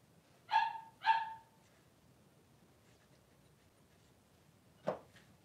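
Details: Newborn Blenheim Cavalier King Charles Spaniel puppy, three days old, one of two boys in a whelping pen with their mother Pom-Pom; two short, high, squealing cries half a second apart, then quiet and a single soft thump.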